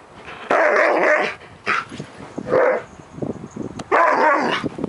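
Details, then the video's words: Nearly ten-year-old Siberian Husky spazzing out mid-morning in July 2018, giving bursts of harsh, grumbling woo-woo vocalizations, several separate outbursts with short pauses between them. "10AM...Time To Spazz Out"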